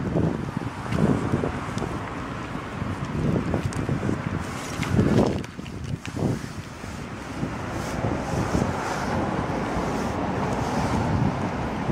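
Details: Strong gusting wind buffets the microphone along with broad rumbling noise, and no animal voice can be heard.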